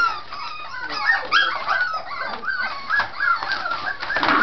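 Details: Vocal Scottish Terrier puppies at play, making noise to seem vicious; tangled high whines, squeaks and yips with short falling and rising notes, several pups calling over one another.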